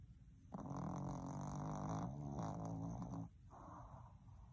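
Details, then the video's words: A Boston Terrier not ready to wake up makes a low, rumbling, snore-like groan with a buzzy harmonic drone lasting about three seconds, followed by a softer, fainter murmur. "Boston Terrier Isn't Ready To Wake Up"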